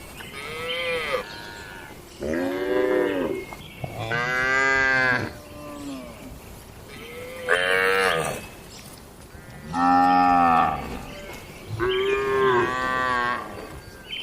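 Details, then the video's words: Loud lowing from tame cattle kept in a barn, daily routine; a run of strong, drawn-out moos, each one to two seconds long, about every two seconds, varying in pitch between animals. "Moo Suara Sapi Jinak"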